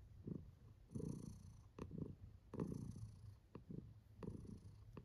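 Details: Female domestic cat purring while enjoying herself, indoors; a soft, low rumbling purr that swells and fades in uneven cycles about every second, quiet overall with a few faint clicks.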